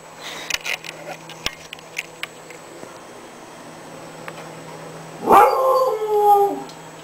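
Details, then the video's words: Female pet Siberian husky doing paw tricks for a treat gives one short, high, whining howl of about a second and a half, after faint taps and clicks, with an owner talking around it. "my siberian husky"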